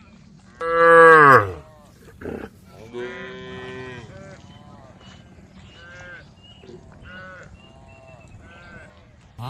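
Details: A female cow gives a loud, rich moo that drops in pitch, followed by softer lowing.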